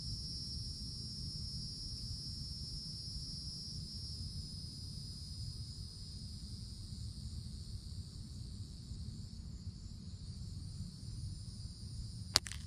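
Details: Cicadas in the summertime forest canopy hold a steady, high, shimmering buzz over a low background rumble.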